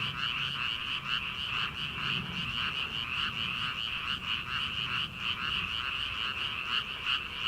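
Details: Paddy-field frogs in early summer, before the rice is planted, heard late at night. Countless overlapping croaks form a continuous, throbbing chorus with quick rhythmic pulses throughout.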